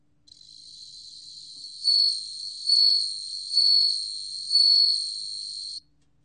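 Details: Bell cricket song from the National Institute of Biological Resources, 2020: a steady high ringing tone with four louder, bell-like swells about once per second, each with a faint lower overtone; background otherwise silent.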